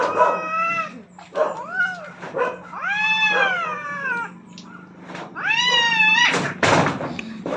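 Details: Rooftop fight between two aggressive cats vying for dominance, heard as a series of drawn-out, bending yowls that swell and sag in pitch, interrupted by short harsh bursts and a sharp noisy spitting sound near the end; faint constant hum beneath.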